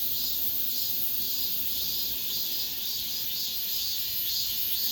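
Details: Cicada song in an apartment complex at summer's end, a bright, buzzy, continuous chorus beating in regular pulses roughly twice per second.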